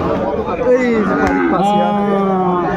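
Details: Sahiwal bull calves at a busy cattle market near Dhaka, Bangladesh, on 24 February 2025: a drawn-out, falling bovine moo with strong harmonics, overlapped by men's bargaining voices and market chatter.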